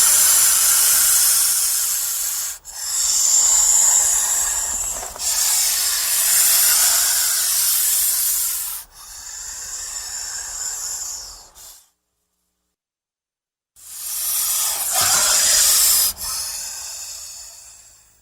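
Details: Hissing from a threatened or frightened snake, a series of long, raspy, high hisses of a few seconds each separated by brief breaks, with a two-second silence before the last hisses.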